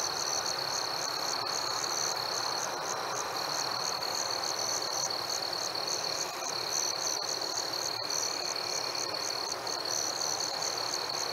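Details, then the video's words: Gentle cricket song on a summer night with fireflies: a sustained piercing trill with brief gaps, plus a regular rapid chirping pulse, around four per second, and a few faint clicks over constant hiss. "Fireflies and Crickets - Calming sounds of the night"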